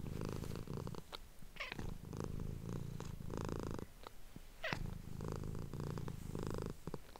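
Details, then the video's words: Female domestic cat purring indoors, close-miked for ASMR while a person whispers to her: a low, pulsing rumble in roughly one-second phrases broken by short pauses, with two sharp swept squeaks or clicks partway through. "cat purring"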